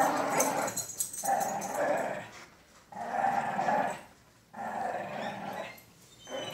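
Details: Female cocker spaniel growling in play while someone pretends to take her toy; rumbling growls in three long bouts of about one to one and a half seconds, separated by short pauses.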